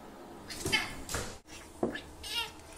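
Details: Bambu, a Bengal cat, meeting Kitty, another cat, for the first time; short broadband vocal bursts followed by a brief harmonic meow near the end, with some rustling.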